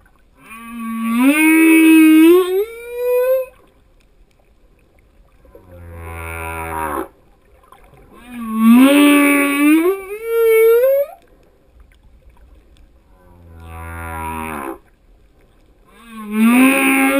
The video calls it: Singing male Humpback Whale